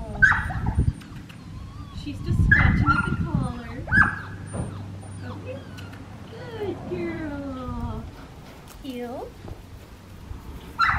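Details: Black tri female Australian Shepherd puppy from an Oklahoma farm, recorded November 25, 2019 during heel training. Sharp high yips near the start, then long falling whines in the middle, with a person's voice giving commands throughout.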